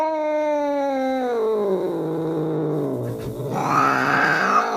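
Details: Angry cat giving a sustained low yowl that slides downward over two seconds into a rough growl, then swells into a higher, louder wail at the end.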